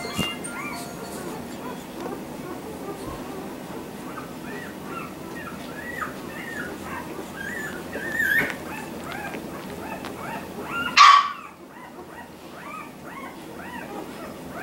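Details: A litter of 4-week-old Labrador Retriever puppies whimpers and squeals in overlapping, arching, high-pitched cries.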